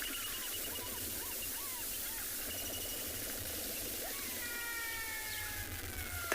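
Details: Many black-backed jackals give faint, drawn-out, slightly falling wailing calls, overlapping in the second half, as territorial announcements and contact calls. Steady hum and soft bird notes behind them at a waterhole, sunset, 24 June, Tswalu Kalahari Reserve, South Africa.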